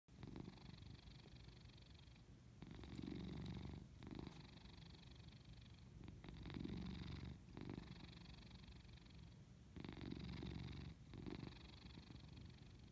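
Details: Domestic cat purring while asleep indoors: a continuous low rumbling purr with steady pulsing, swelling louder and softening in alternating inhale and exhale phases roughly every one to two seconds, in a quiet room.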